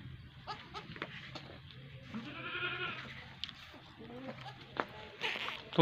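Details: Goat giving birth in a village: a strained, nasal bleat with layered harmonics in the middle, amid people speaking and intermittent knocks and rustling.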